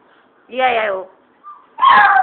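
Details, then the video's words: Chihuahua named Lady Shady singing indoors: two loud, wavering howl-like vocal bursts with stacked harmonics, the second higher and more strained, separated by a short faint whine. "chihuahua sings lady shady sings"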